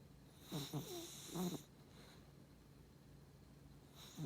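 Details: Beagle crossed with Cavalier snoring in short snorty bursts: three quick raspy snorts close together, then a pause and the start of another snore at the end; quiet indoor background.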